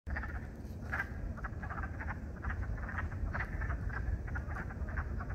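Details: Spring peepers calling in spring at Beaver Brook: a steady chorus of short, bright peeps repeating rapidly and overlapping, over a constant low rumble of background noise.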